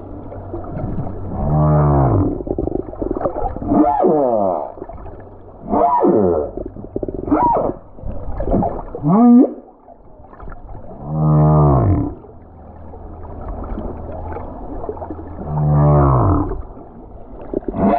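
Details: Lone male humpback whale in song over the Silver Bank, February 2023, with a snorkeler above: repeated low harmonic moans every few seconds, rising upsweeps and one high squeal, phrases spaced by quieter pauses and water noise.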